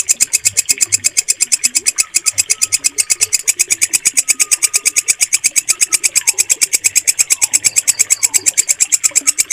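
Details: Loud, stable walang kecek bush cricket call, valued for tutoring caged birds: an unbroken train of sharp, even pulses near three a second, high and buzzy, with soft whistled notes behind.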